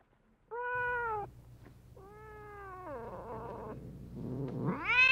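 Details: Cat calling sounds to attract cats: two steady, level meows separated by a pause, then a rough, descending cry and a final rising, increasingly loud meow.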